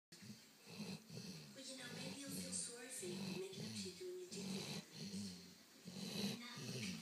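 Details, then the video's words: A dog snoring while dreaming; soft, rhythmic low snores pulse roughly every second, with faint breathy hiss between them. "Dog snoring"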